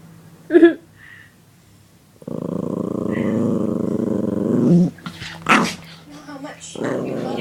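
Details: A puppy gets mad when teased: a steady, rough, rumbling growl lasting about two and a half seconds, with a shorter growl returning at the end and a person speaking between the outbursts.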